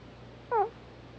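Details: One brief squeak from Hana, a Pomeranian snoring in her sleep. It is a short, falling, whine-like nasal tone against a quiet room hum.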